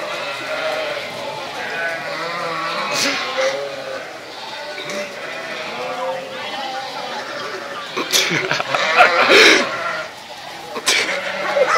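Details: Several hungry sheep, herded with goats by farmers past a house in Venice, Italy, stop to eat a neighbour's hedge. Wavering bleats overlap throughout, with people talking nearby and brief rustling bursts.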